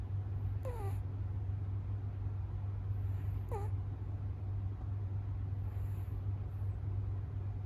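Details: American Shorthair kitten dozing on day six in its new home, giving two brief squeaky falling snore sounds about three seconds apart against a constant deep hum.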